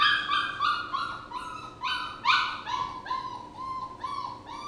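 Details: A puppy whines in a rapid run of short, high whimpering cries, about three each second, each note dipping slightly, steady and insistent over a faint background hum.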